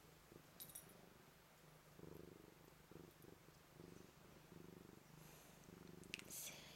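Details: White Manx cat with blue eyes greeting and purring: a continuous low rhythmic rumble in repeated pulses, with a few faint higher clicks and a soft background hiss.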